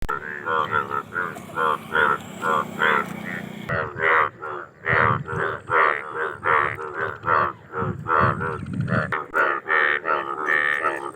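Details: Indian bullfrogs calling: a dense chorus of nasal, buzzy croaks with rich harmonics, each about a third of a second long, overlapping at over one per second, with a low background hum at the start.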